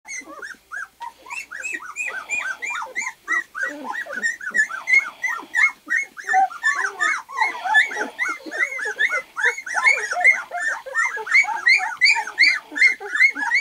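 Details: Two-week-old white golden retriever puppies from Lily and Axil's litter, eyes newly open, crawling around: a dense overlapping chorus of high arched whimpers and squeaks, several pups at once, about two to three cries per second.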